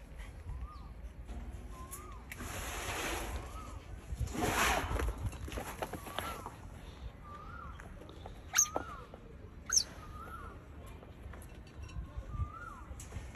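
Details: Pet Asian smooth-coated otter enjoying being rubbed gives soft, short chirps that rise then dip, repeated roughly once a second about ten times, over rustling of handling and a few sharp clicks.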